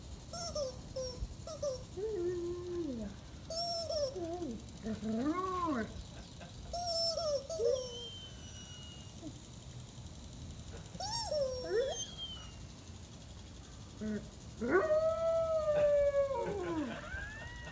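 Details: A three-year-old Weimaraner in Mexico howls on its birthday, singing along with a new toy chicken, in wavering, rising-and-falling tones broken into short yelps before one long held note.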